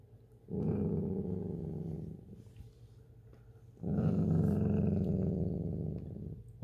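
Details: Dachshund guarding a stash of chips indoors, giving two long low rumbling growls, each lasting over a second with a short quiet gap between them.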